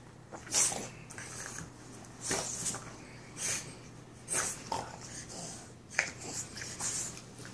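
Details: Two Boston Terrier brothers playing together, snorting and huffing in short noisy bursts roughly every second, some sharper and louder than others, in a small indoor room.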